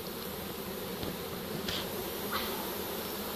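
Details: Captured honey bee swarm filling a pole bucket, 25 March 2015; a dense, even droning buzz of many bees, louder and continuous, with a few brief higher chirps of sound above it.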